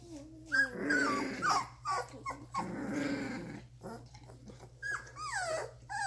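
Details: Young Doberman pups, 2.5 weeks old, starting to play: low, rough growling rumbles alternate with thin, downward-sliding whimpers and a few sharp squeaks, against a constant low hum.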